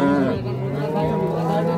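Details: Improved-breed dairy cows at Raniganj cattle market on 17/11/25: a long, steady, deep moo holds one low pitch throughout, with people talking nearby at the busy market.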